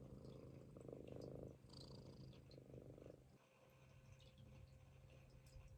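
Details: Munchkin kitten asleep on its owner's stomach and snoring: soft, raspy, purr-like rattling breaths in bursts about a second long, quiet pauses between, faint room hiss behind.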